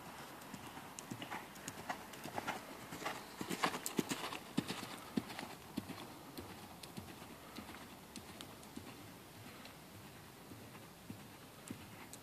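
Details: Ferozza, a mare born in 2009, moving with sharp, uneven hoof clops and clicks, strongest through the middle seconds and then fading to scattered single beats over faint background hiss.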